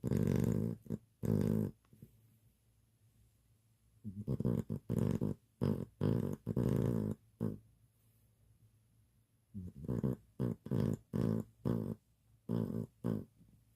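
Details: Sleeping house dog snoring in a small room, short low throaty rasps in clusters, separated by silent breaths of a second or two.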